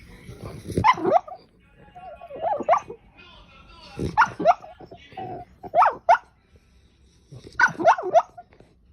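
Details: Pet dog among a compilation of funny dogs, giving short harmonic barks in bursts roughly every one and a half to two seconds, with people talking and music in between.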